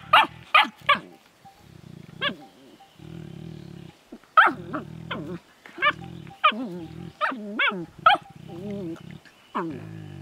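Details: A Finnish Lapdog puppy and an older Landseer female interacting affectionately: high squealing yelps and whines alternating with lower groaning, warbling moans, in irregular bursts.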